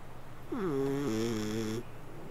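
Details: A cat asleep lets out a single drawn-out snoring purr lasting just over a second, a steady humming buzz that dips slightly in pitch midway, in a quiet indoor setting.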